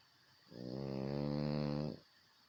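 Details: A single drawn-out snore from a French Bulldog, low and buzzy with rich harmonics, swelling and holding for about one and a half seconds before stopping abruptly in a quiet room.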